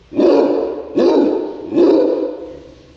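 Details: Cairn Terrier, called ferocious, giving three loud, rough barks about one second apart, each harsh and slightly drawn out with a raspy, growling quality.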